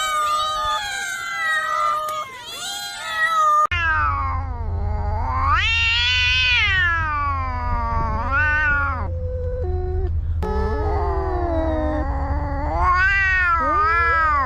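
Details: Cats and kittens meowing to attract other cats: a rapid run of loud, drawn-out wailing meows that swoop up and fall, some long and yowling, one after another with a low steady hum beneath.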